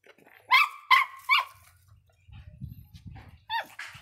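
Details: Three sharp, high-pitched barks in quick succession from a fierce Miniature Pinscher named Faisca, followed by a low rumbling thud and one more bark.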